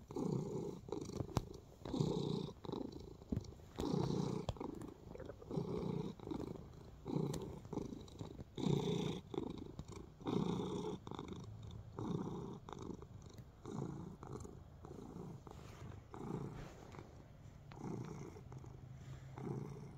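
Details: Domestic cat at ease, kneading indoors, giving a continuous low purr that swells on each breath, about a cycle every two seconds, with faint scratching and rustling throughout.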